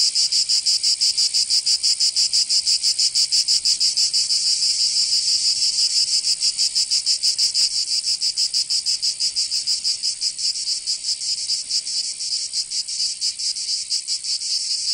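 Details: Provençal cicadas in summer, southern France: strongly pulsed high buzzing at first, the beats gradually blurring into a more even drone toward the end.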